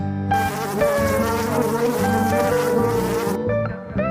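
A bumblebee's low, droning buzz, rich in overtones and wavering slightly in pitch, holds steady for about three seconds before breaking into shorter bursts.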